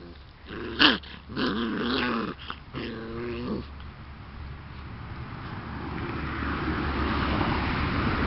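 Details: Bullmastiff pups for sale at Het Hezehof give a few squeaky, wavering whines and whimpers early on, then fade into a rising background rumble.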